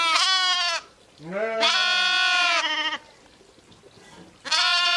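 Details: Sheep, ewes and lambs: a loud trembling bleat, then a lower voice rising into a long sustained bleat, a pause, and another high wavering call.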